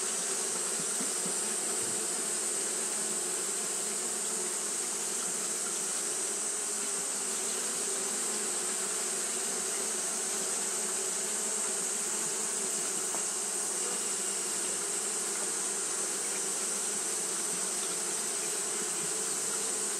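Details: Japanese honey bees fanning continuously on a hot day: a dense, steady droning hum with layered low tones, overlaid by a constant bright high-pitched hiss throughout.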